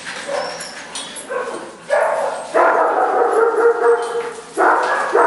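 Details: Four puppies under a year old playing together indoors, an Italian Greyhound, a Brussels Griffon and a Mini-Dachshund among them; several sustained, tonal whining yelps, one long one of about two and a half seconds, with short pauses between.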